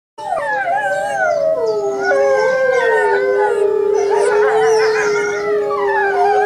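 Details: Linde, a new Saarloos Wolfdog pup at home on 16 June 2012, not yet settled in, howls along with wolves: several long, wavering, overlapping tones sliding slowly downward into a sustained steady note.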